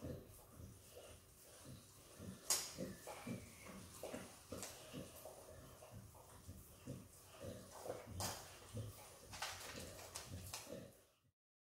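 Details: Izzy, a female Australian Kelpie x Border Collie puppy, licks and eats peanut butter indoors. Soft wet smacks and tongue clicks come in quick irregular bursts, with a few sharper snaps around the third and eighth seconds.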